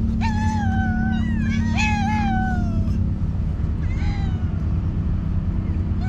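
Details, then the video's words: Village stray cats, hungry and angry after a one-day-late feeding, utter two long wavering meows in quick succession, then fainter meowing fades into a constant low vehicle drone. "Stray cats who got angry at me because I was late to feed them. A village full of hungry cats."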